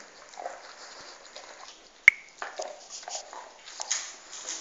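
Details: A pet dog eating a bone: quiet, scattered crunching and gnawing clicks, with one sharp crack near the middle and a faint steady hiss behind.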